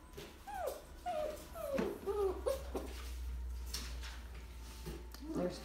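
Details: Golden Mountain Doodle puppies at six weeks old, indoors, giving high, wavering whimpers and short whines in quick succession while a person talks quietly over them.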